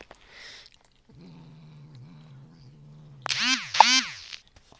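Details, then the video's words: A cat named Ronan growls while trying to eat a piece of cheese, directed at another cat, Muff. A low steady growl lasts about two seconds, then rises into two loud wavering yowls before stopping. "The growling cat"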